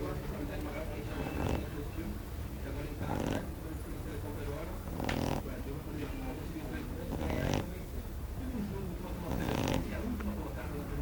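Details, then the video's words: A sleeping Shar Pei snoring: low, rough breathing sounds with periodic louder snorts roughly every two seconds over a steady background hum. "Shar pei roncando"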